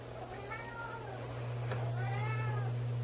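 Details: Several house cats walking about indoors; two soft, drawn-out meows rise and then fall in pitch, over a steady low electrical hum.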